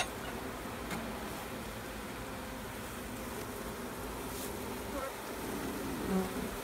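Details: Bees during a check on a new queen, giving a dense, steady low hum with a faint tonal drone, continuous throughout, with a few soft knocks and a brief louder swell near the end.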